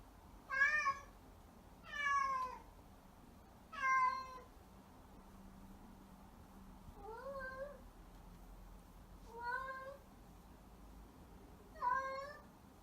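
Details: Pet cat indoors calling its owner in varied voices: six separate clear meows about two seconds apart, some bright and falling, others softer with a rising-falling inflection, in a quiet room.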